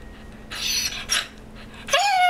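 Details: A dog called Olly, famous for 'talking' and mimicking baby sounds, pants in two breathy bursts inside a small room, then lets out a clear, steady tonal whine that holds its pitch to the end.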